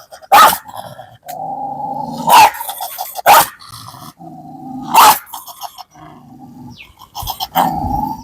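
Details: Kombai dog, described as somewhat dangerous, in a dog challenge, giving loud sharp barks every one to two seconds, five in all, with low rumbling growls between them.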